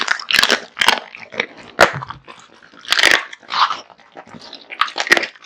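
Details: Raw meat and bones crunched by Kotetsu, a big-eating male American Bully: loud separate bone cracks about every half second to second, with brief wet chewing between them.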